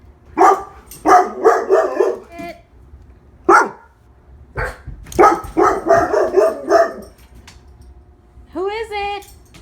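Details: Pet female Labrador Retriever named Lola, one year old, barking in quick bursts of three to four woofs, with single barks between and a rising whine near the end; a person's voice speaks teasingly in the background.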